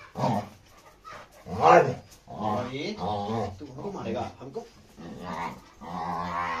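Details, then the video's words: Labrador retriever Rony, aggressive and fighting with Radhe, gives loud rough growls and barking bursts in quick succession, each swelling then fading, with people's voices mixed in close by. "Aggressive labrador rony fight with radhe"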